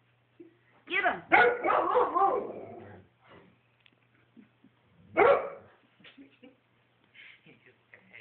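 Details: Cutler, a pet dog just woken from snoring sleep, gives a quick cluster of hoarse barks. A lone louder bark follows a few seconds later, and a person's voice urges him on with "get him" in the background.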